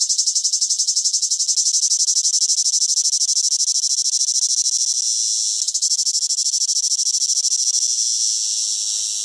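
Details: Cicada in summer producing an intense, high, rhythmically throbbing buzz that carries on almost unbroken, easing into a smoother, slightly softer drone in the final seconds.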